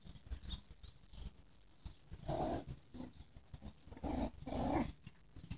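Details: Parti-coloured Miniature Schnauzer puppies from a litter born 23 March 2015 give short, soft, high whines near the middle and end, with faint grunting, over a low steady background rumble.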